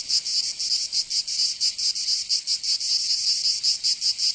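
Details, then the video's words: High, sizzling cicada song from a summer day in Provence, southern France, a constant buzz with uneven throbbing swells, several per second, and no other animals or people heard. "Canto Cigarra 🦗 [ Escuchar les cigarras en verano 10 H]"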